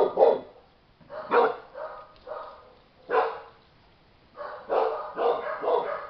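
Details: Chow Chow dogs with 25-day-old puppies out in the open for their first time, giving loud yapping barks in short grouped bursts roughly every second, a quiet gap in the middle, then a rapid run of barks.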